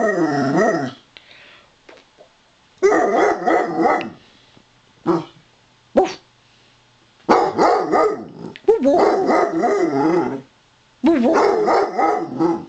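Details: Daisy, a Basset Hound, greets with her own "Wookie Chuckle": bursts of loud, wavering, harmonic howling and grumbling vocalizations, each about one to two seconds long, separated by short pauses, with brief softer sounds between.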